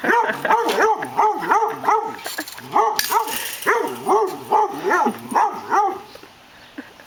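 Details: A pet dog, a female, barks at a lawn mower even while it is switched off; a steady series of sharp, evenly spaced barks, roughly two or three a second, pausing briefly near the middle.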